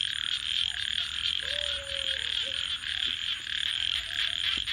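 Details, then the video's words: Nighttime frog chorus beside a campfire: a constant shrill, pulsing hum, a brief low steady whistled tone in the middle, and light crackling from the burning wood. "Virtual Campfire with Crackling Fire 🔥 and frogs 🐸 Sounds"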